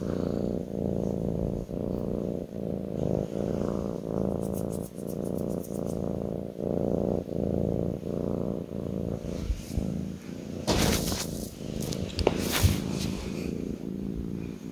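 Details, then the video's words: Kitten purring while resting on its owner's lap indoors: a steady low rumbling purr that swells and dips with each breath, followed near the end by a few brief rustling and scratching noises. "kitten purring"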